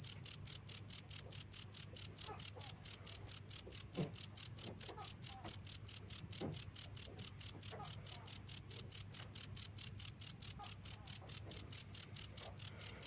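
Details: Cricket chirping without a break, high pulsed chirps repeated steadily about twice per second, each with a bright tone and a fainter overtone above, with faint low background hum and scattered soft clicks.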